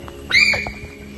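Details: One of two large Yezo sika deer hidden in bushes in Hokkaido in summer gives sharp, high, squealing threat calls, loud and brief, with rain starting.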